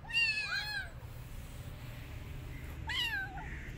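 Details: Kitten rescued from the street, wanting to return outdoors and not eating, gives two bright, arching meows, one at the start and another near the end, separated by a quiet pause with faint room hum.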